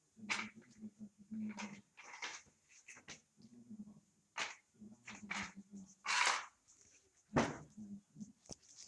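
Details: Puppies 25 days old in a living room at night, giving repeated low whining whimpers with short high squeaky yelps scattered through, several pups calling over one another.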